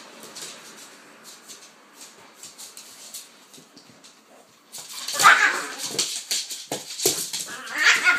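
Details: Two playing dogs, a pitbull and a King Charles spaniel called Kaiser and Viki; soft scuffling at first, then loud, harsh snarling bursts and rough yelps from about five seconds on.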